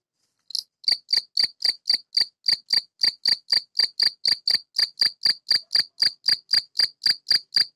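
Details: A male Gryllus campestris in a tortoise greenhouse, the enclosure amplifying its song, calls to females. After a brief start, high ringing chirps come in a steady train of about four per second, roughly twenty-eight in sequence. No other sounds.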